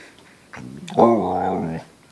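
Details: A single drawn-out, tonal whining howl, about one second long, from Lexi the Samoyed, who howls to tell her owners she must go outside to use the restroom. A person's voice follows, asking about going outside.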